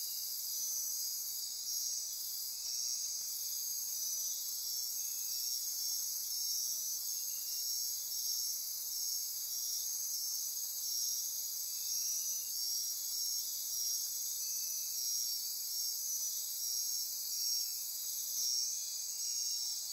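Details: Dense midnight chorus of rainforest insects near Corcovado National Park on Costa Rica's Osa Peninsula; unbroken high trilling, pulsing and buzzing layers sustained across twenty seconds with subtle rhythmic swells.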